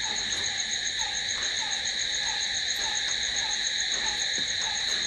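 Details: Cricket chorus at night, an even wall of high, ringing trills that never pauses, accompanied by a quieter lower note repeating roughly twice a second.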